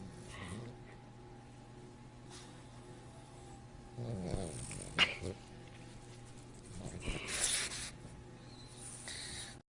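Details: French Bulldog making strange sounds indoors: quiet snuffly breathing, then a rough, throaty grumble rising and falling over about a second, a sharp click-like snort, and a later breathy hiss.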